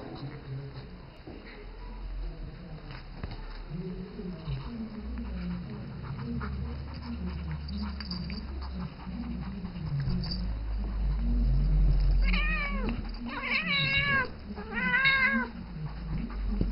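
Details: Isis, a seven-year-old domestic cat, calls the three-month-old ferret Rambo she treats as her baby; low rustling and shuffling at first, then three clear, rising-falling harmonic meows in quick succession near the end.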